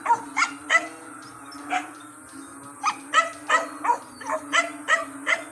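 A frog chorus of short, harsh croaks with a nasal, almost barking tone, arriving in uneven clusters. A steady low hum runs underneath the calls.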